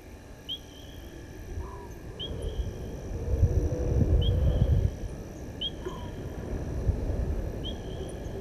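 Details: Male lion roaring after crossing the dam wall at Gowrie dam, Djuma Game Reserve, Sabi Sand Wildtuin, South Africa, 19:47 on 18 August 2022, out on the far side. A deep, distant rumble swells midway, under regular bird chirps and steady insect hum.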